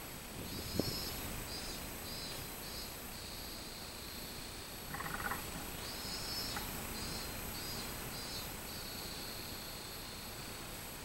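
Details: Robust cicada recorded 24 July 2016, its high buzzing song running in pulsed sections with stretches of steady drone between them. A sharp knock and a short mid-pitched burst interrupt it.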